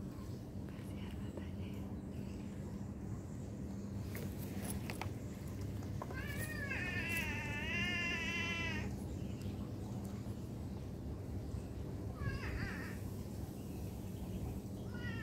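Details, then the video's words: Domestic cat meowing: a drawn-out, quavering meow of nearly three seconds, followed later by two shorter meows, against low rumbling background noise. "cat lovers viral cat | meowing"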